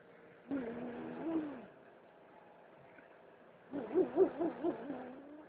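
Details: Domestic cat, apparently being handled, giving two drawn-out, low wavering yowls with rich harmonics, the second with a warbling, pulsing end; faint background hum.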